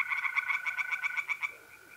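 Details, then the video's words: A quick series of about a dozen rasping croaks from tree frogs in a pond, delivered in under two seconds on an April night in North-East Italy, then silence apart from the steady mole cricket trill. "relaxing singing tree frogs in pond"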